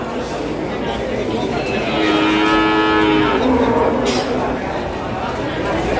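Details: Feeder cattle at a livestock market in the run-up to Eid al-Adha, one drawn-out harmonic moo rising and holding midway, over steady crowd murmur and market background noise.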